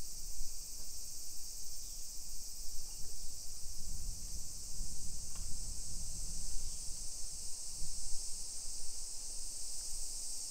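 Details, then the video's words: Cicadas buzz on a summer afternoon, 1 PM on 28 July 2021, in a modern Nagoya suburb in Aichi, Japan. A loud, steady, high sizzling drone continues throughout, with a low thudding rumble in the middle of the stretch. "Summer Cicadas Sounds"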